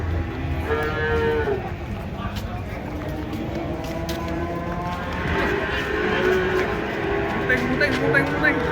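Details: Cattle being unloaded from a truck, one jumping down and falling; several overlapping drawn-out, harmonic moos sound through the clip, with people talking and crowd noise around them.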